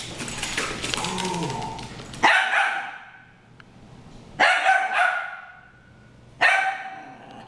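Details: Harry and Ferris, two dogs in a brawl, trade three loud, harsh barks about two seconds apart, each fading into a rough tail, after an opening stretch of higher whining, tonal yelps.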